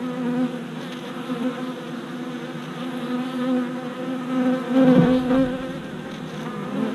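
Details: Worker honey bees making orientation flights at a new deep hive body four days after a package of bees was installed, 27 April 2017, recorded with a GoPro Hero Session 5: a dense, steady humming buzz with a louder bee passing close near the end.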